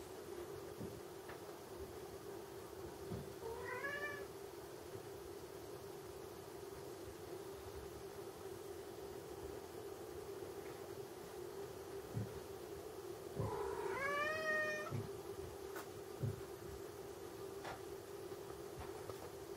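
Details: American Curl cat giving two rising, harmonic meows, one early and one longer one about ten seconds later, over a steady low electrical hum with faint clicks and knocks indoors.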